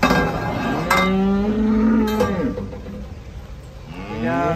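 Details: Cattle coming down off a truck. A drawn-out, low, steady moo lasts about two seconds, with metallic clinks like a cowbell and a fainter second moo starting at the end.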